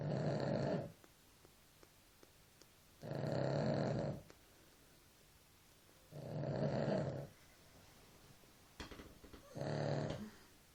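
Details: Snoring from a sleeping dog: four harsh, low snores, each about a second long, repeat roughly every three seconds. Faint clicks and small noises sit between them.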